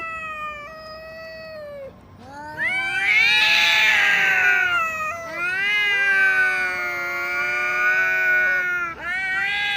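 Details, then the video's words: Two house cats in a quarrel, Xiaohui shying away with tail tucked; a quieter sustained wail gives way to loud, rising, strained howling with harsh overtones, then long wavering yowls and a fresh rising cry at the end. "2只猫咪吵架，见面就吵的那种 | 2 cats quarrel, the kind of noisy when they meet"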